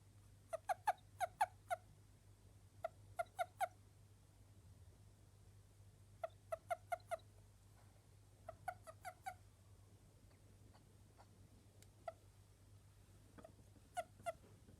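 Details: Japanese toad, a bulky-bodied toad said to call as cutely as a small bird: short clusters of three to five quick, clucking notes, repeated in bursts every few seconds over a steady low hum.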